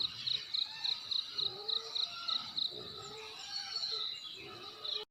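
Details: Cricket chirping on a village morning in Nekmese, Ki'e, South Central Timor, NTT: clear high pulses repeated about four per second, over faint birdsong and soft natural background.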